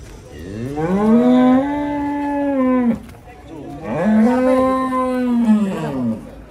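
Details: Two loud, drawn-out moos, each about two and a half seconds, rising then falling slightly, from big cattle unloaded off a truck.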